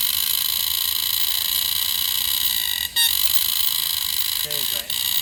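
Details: A green cicada at Bukit Timah Nature Park gives a steady, shrill, high-pitched drone, calling to attract a mate.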